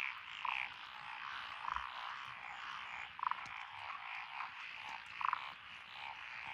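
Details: Among lotus rice paddies in Echizen, Fukui, on 12 June 2021, a nearer frog gives short, clear croaks roughly every one to two seconds over a softer background chorus of many frogs.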